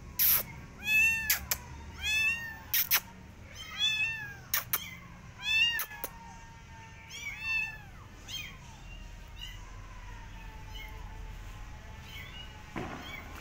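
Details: Garden outing of a Persian cat and her adopted kittens watching rabbits; a run of about eight high-pitched, arching meows, roughly one every second or two, fading into quieter mews, with occasional crisp clicks.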